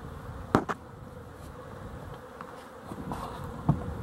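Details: Honey bees watched up close, dated 12-11-23; a steady low, dense buzzing hum fills the clip, broken by a few brief clicks and knocks.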